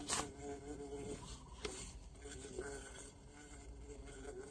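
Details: Bee caught in the bush during a bee-hunting outing, one of two kinds taken; a steady, low droning buzz runs throughout with faint overtones, broken by short clicks and rustles of handling.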